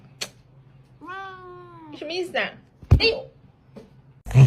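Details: An angry domestic cat lets out a short wavering meow that dips and rises. It is followed by bumps, rustling and a burst of noise indoors.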